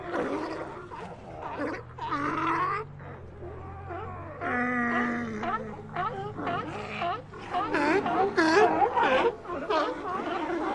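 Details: A sea lion colony producing a chorus of overlapping bleating barks and wavering moans, densest and loudest toward the end, over a low steady hum.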